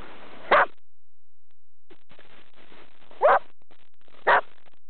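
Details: Springer spaniels, champions, two of three dogs playing in the snow in Sweden; three short, sharp barks spaced over a few seconds, with quiet rustling and a person speaking Swedish nearby.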